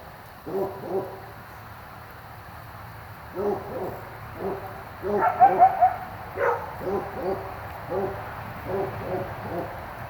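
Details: Coyotes calling at night near a driveway, somewhat distant: scattered bursts of short, high yips and barks, with a brief cluster of sharp yelps in the middle and quieter yipping toward the end.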